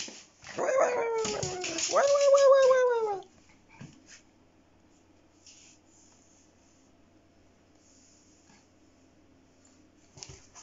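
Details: A Pomeranian growls in defence when its bed is touched. Two loud, high, tense whining snarls over about two and a half seconds each slide downward in pitch, then the room falls quiet apart from faint rustles.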